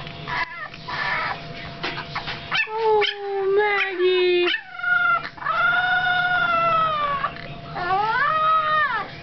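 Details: Three-week-old kitten, bottle fed because her mother fell sick, howling unhappily. Short wailing cries step downward, then longer drawn-out howls rise and fall. A person speaks briefly at the start.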